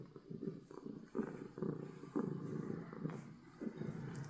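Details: Loud purring from a contented domestic cat, a deep, grainy rumble throbbing in quick regular pulses with each breath, steady and unbroken throughout.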